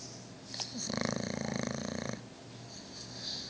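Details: Sleeping dog snoring indoors: one drawn-out rasping breath of about one and a quarter seconds with a rapid fluttering pulse, set between quieter breathing and faint background hiss.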